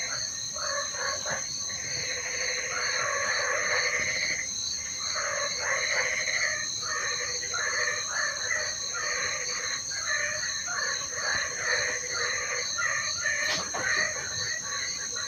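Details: A rain-time chorus of frogs: rattling, pulsed croaks in uneven runs, with several callers overlapping. A constant shrill buzzing hums underneath, and a single sharp click stands out late in the recording.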